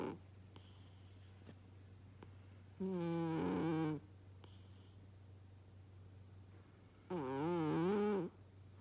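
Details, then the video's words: Sleeping domestic cat snoring indoors: two loud, drawn-out breaths about four seconds apart, each lasting roughly a second, with a rough, wavering, harmonic tone that rises and falls, over a steady low hum in a quiet room. "the snoring cat"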